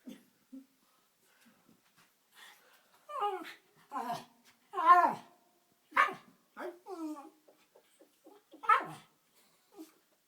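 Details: A Jack Russell Terrier trying to get a ball out of a fireplace gives sharp, wavering whines broken up by short, high yelping barks.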